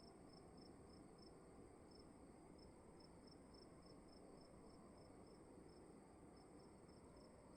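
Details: In a dark room at night a cricket chirps in quick high pulses, with a couple of brief gaps in the rhythm, over a steady low hum of room noise.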